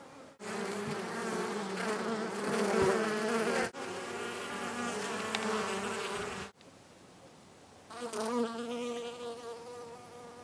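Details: Honey bees in early spring, February 4, 2018, are bringing in the year's first notable pollen among snowdrops. They buzz steadily in a low, droning hum rich in overtones that swells and fades as they pass.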